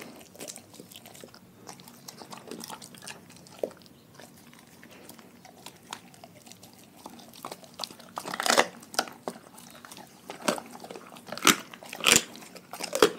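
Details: Pack of dogs eating a raw food diet indoors, quiet scattered bites at first, then loud sharp crunches bunched near the end, with wet chewing between them.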